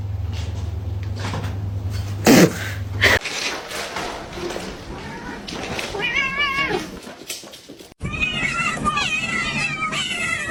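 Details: Pet cat heard after an abrupt noisy opening and human voices: wavering, warbling meows in the second half, growing denser toward the end with several overlapping calls.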